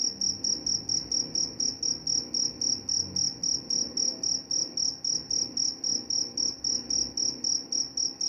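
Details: Rapid, regular cricket chirps in a high ringing tone, roughly four pulses each second, continuing without pause above a soft, low rumble.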